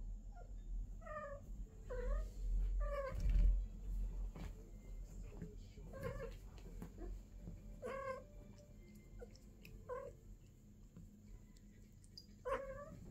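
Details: A female British Longhair cat, at her first mating, gives wavering, drawn-out mating yowls, repeated every second or two.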